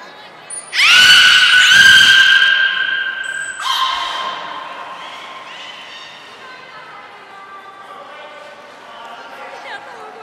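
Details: Training session with all belugas at the Port of Nagoya Public Aquarium, 16 March 2024: a strong, sustained harmonic squeal follows a short high whistle. A second, fading squeal follows, with faint indoor murmur underneath.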